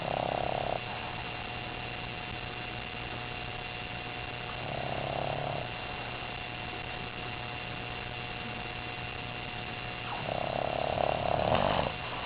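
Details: Asleep on the couch after a bath and a day of play with other dogs and toys, eight-month-old puppy Gibson gives three hoarse, breathy snores, roughly every five seconds, against a constant low hum.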